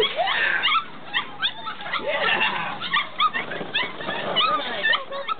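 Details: Several six-week-old puppies at a kennel give high, squeaky whimpers and short yelps that overlap in a busy chorus, with brief louder whines and a person's voice faintly behind.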